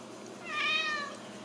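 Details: Single drawn-out meow from a Ragdoll kitten at a home cattery in central Kansas, rising then gently falling, clear harmonics, with a faint room hum behind it.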